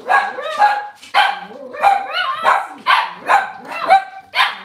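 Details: Kitchen-cam Cavalier King Charles Spaniel on a cloudy Monday morning, barking steadily about once a second, each bark bright with a brief rising-falling tone, with faint voices beneath.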